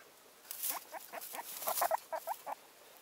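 A guinea pig gives a run of short, squeaky chirps with soft rustling and patter.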